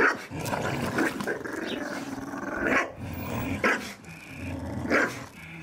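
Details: Staffordshire Bull Terriers playing in a garden and tearing apart a ball. A low rumbling growl runs throughout, with sharp barks breaking in about once a second near the end.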